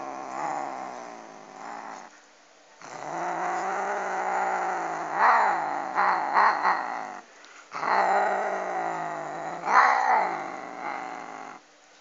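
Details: Cat eating a duck bone, guarding its food with long, continuous, rasping growls that swell and dip in loudness, broken by two brief pauses, with occasional higher yowling rises layered over the rumble.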